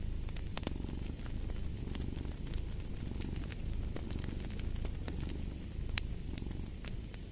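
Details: Cat purring as a low, continuous rumble with faint swells, partly masked by dense crackling and loud pops from a fireplace.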